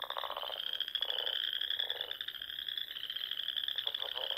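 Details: Spring chorus of frogs at dusk by a small lake in Nebraska's Sandhills, a continuous shrill trill from many callers overlaid by lower croaks in bursts about every second.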